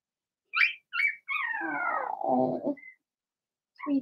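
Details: Young Blenheim Cavalier King Charles Spaniel puppies in an indoor puppy pen. Two quick high squeaks lead into a long whimpering whine that slides steadily downward and ends in a rough, lower moan, then a short yelp follows.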